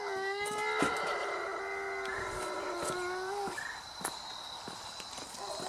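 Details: German Shepherd pet dog howling: a long, steady, tonal howl with strong overtones holds for about three seconds, then drops away. Faint clicks and household noise follow.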